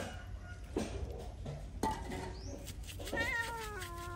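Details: Feral cat during a bath: after a few knocks and splashing noises, a single harmonic-rich meow rises and then steps down in pitch at the end, over a constant low hum.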